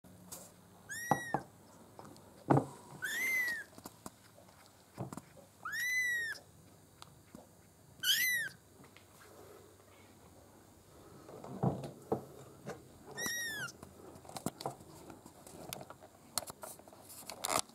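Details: Black and white Maine Coon kitten, three weeks old; five loud, clear mews, each rising then falling, spaced irregularly two to five seconds apart, with clicks and rustling in between.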